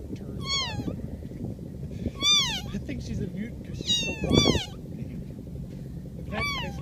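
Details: An angry domestic cat gives short, sharply falling meows in irregular bursts, some doubled, while a low rumble of background noise and a person speaking continue underneath.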